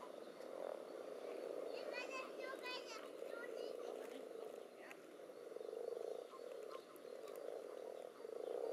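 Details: Spawning pond with common toads and various frogs pressing against each other, captured in a trial above- and underwater recording. A low droning chorus runs throughout, overlaid near the start by quick rattling higher-pitched frog calls and occasional clicks.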